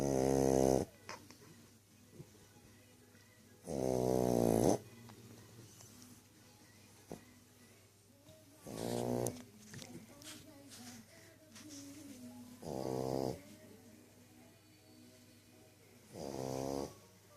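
An English bulldog snores loudly in deep, rattling bursts about every four seconds.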